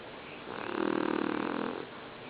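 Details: Golda, a small pygmy pit bull weighing 20 pounds, snores while sleeping, as loud as a person; one long rasping, fluttering breath swells and fades over about a second indoors.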